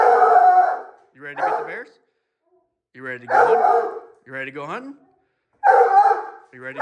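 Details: A hunting dog, Rocky, on the opening day of black bear training season in July 2024, gives drawn-out, harmonic bawling calls in bursts of about a second, separated by short gaps of silence.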